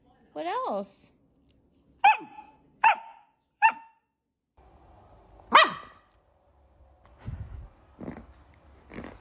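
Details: Golden Retriever puppies: one wavering, rising-and-falling whine, then three sharp high yips about a second apart, followed by a louder yelp and softer grunts, while people talk nearby.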